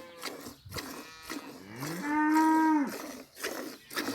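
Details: Single drawn-out moo from a cow in a village, rising into a steady tone and falling away at the end, over light rustling and scattered knocks.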